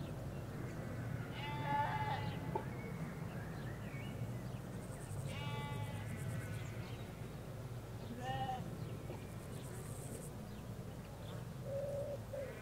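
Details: Sheep, ewes with their lambs, in a Hampshire countryside field: several harmonic bleats spaced a few seconds apart, some rough and quavering, others short, against constant low road hum and faint high chirping from other creatures.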